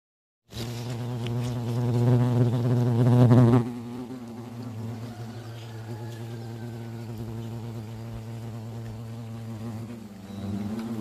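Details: Hornets around a huge nest hanging in a garden cherry tree at a country house, during nest removal; a loud, steady low wing buzz with rich harmonics, strongest for the first three seconds, then continuing softer and even.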